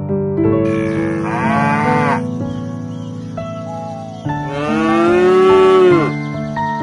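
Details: Cow (Bos taurus), moo.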